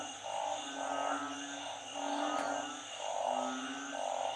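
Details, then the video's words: Narrow-mouthed frogs and small frogs calling as a storm brings flooding: short, throaty croaks come in a steady series roughly once a second over a constant layered drone. "พายุเข้า น้ำท่วม เสียงอึ่ง เสียงเขียด"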